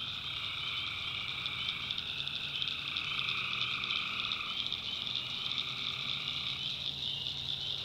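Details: Tree frogs calling at night in a North Carolina backwoods swamp, a dense unbroken chorus of high shrill trilling with a steady lower buzzing layer that fades out near the end, over a faint low rumble.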